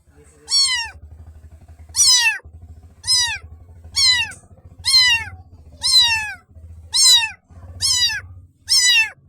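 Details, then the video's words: Little black kitten mewing over and over, high thin calls that climb and drop, spaced about a second apart over a low purring rumble. "BLACK baby Kitten Makes Lovely Sounds"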